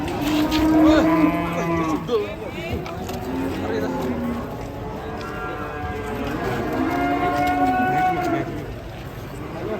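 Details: Angry, agitated cattle lowing in a chorus of long harmonic moos, a strong bellow early on followed by steadier, sustained calls from other animals nearby.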